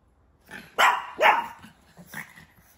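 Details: A four-month-old pug puppy gives two sharp, rising barks in quick succession, followed by softer yips and a short whine-like trailing note.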